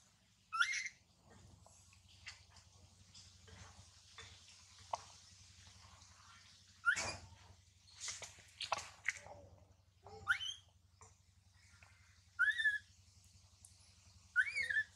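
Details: Baby monkey Mila cries loudly while her mother Malika warns and weans her. Shrill, wavering squeals come in sharp bursts, some sliding up and down, with short gaps and a steady low hum underneath.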